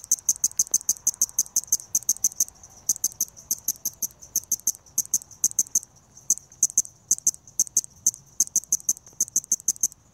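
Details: A balloon-winged katydid (Tympanophora andreae) calls with high, buzzy pulses in rapid bursts, repeated with short pauses.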